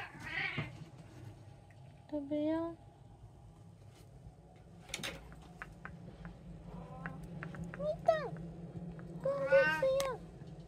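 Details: Pet cats in a household of three, indoors: several short harmonic meows, some rising then falling, come in scattered bursts about every two to three seconds, with a person talking softly in between and a low steady hum underneath.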